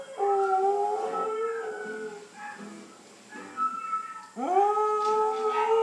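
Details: Scottish Terrier howling while watching TV: long, steady, tonal howls that slide slightly upward, a pause near the middle, then a sudden strong rising howl held to the end, with TV soundtrack audible underneath.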